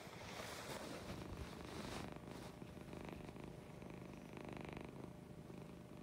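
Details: A morning purr from Lucy, a female cat: rapid pulsed low rumbling, about three pulses a second, loud and close, with breathy rustling noise early on.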